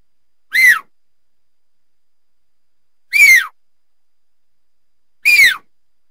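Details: Mountain lion giving three short, high whistled chirps, each arching up then dropping, spaced about two to three seconds apart against a silent background.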